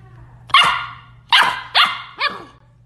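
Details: Pet dog from a funny dog compilation barking four times in quick succession, sharp broadband barks at about half-second intervals, the last one shorter, over a steady low hum.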